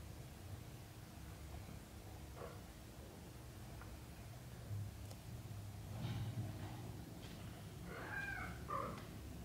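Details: British shorthair kittens in their first thirty days, with the mother cat nearby: a continuous low purr throughout, and a few thin, high mews rising near the end.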